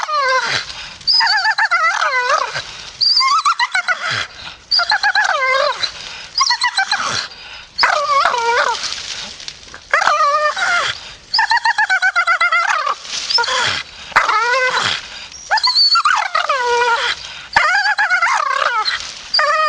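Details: Long, nearly continuous grumbling from a grumpy Staffy. Whiny, warbling moans swoop downward and crowd together with only brief gaps.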